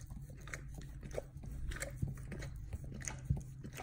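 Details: Dog biting and licking at its own bottom: scattered loud crunches and moist licking smacks with short pauses between them, a low hum underneath.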